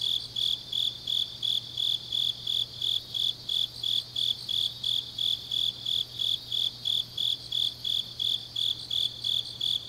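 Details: Autumn-night grass insects in Changnyeong, South Gyeongsang, Korea. A regular train of bright, high-pitched pulses runs nearly three per second without a break, with a fainter, softer shimmer above and a quiet low hum.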